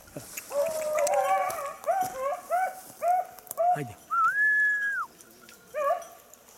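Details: Beagle hunting on 19 October 2022 after losing the hare gives a run of short, yelping bays about every half second, then a long rising-and-falling whistled note, then one more bay.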